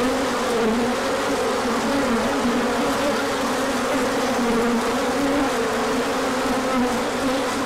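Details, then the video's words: A crowd of bees on an orientation flight, emerging when the sun came out after colder weather in March 2024; continuous layered buzzing, a low hum that rises and dips slightly without pause. "Large Orientation Flight."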